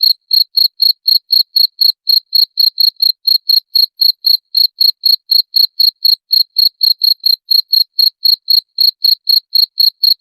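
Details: Chirping cricket used as a rat repellent, giving bright, shrill pulses at an even pace of roughly four per second, unbroken throughout, against complete quiet.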